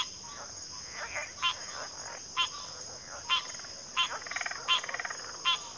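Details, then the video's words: Frogs in a backwater chorus, including pig frogs and water frogs: short pulsed, rasping calls recur about once a second over a continuous high, steady insect drone. "FROGS - Pig Frogs, Water Frogs, Backwater Chorus, & Frog Chorus"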